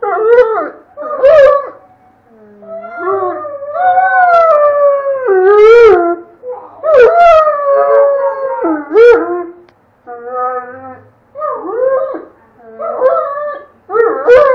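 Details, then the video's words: Red, a pet Doberman, howls and 'talks' with a child: long wavering howls that rise and fall, broken by short yelping bursts and pauses, while the child's own howling joins in. "Doberman howling and talking"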